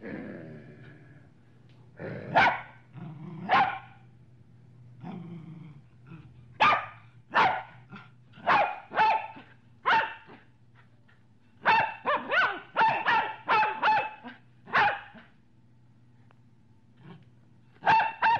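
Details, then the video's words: Medium-sized dog barking deeply and assertively, around twenty loud sharp barks in irregular bursts, some spaced a second apart and others in quick runs of four or five, over a low steady hum. "Dog Medium Barking Sound Effect"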